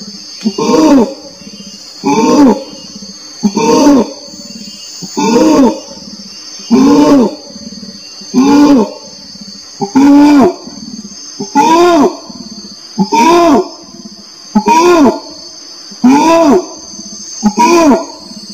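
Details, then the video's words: Long orangutan calling bout: a dozen evenly spaced, rising-then-falling harmonic hoots, one roughly every one and a half seconds, each followed by soft low grunting, with a continuous high buzz in the background. "SUARA ORANG UTAN"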